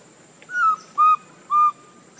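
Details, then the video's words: Baby monkey Lucie, hungry and begging for milk, crying while foaming at the mouth: three clear whistled cries, each about a quarter second long, the first sliding slightly downward and the next two level, separated by short pauses. "Lucie Very Pitiful Need Milk Crying foaming At The Mouth I Lovely Baby Monkey"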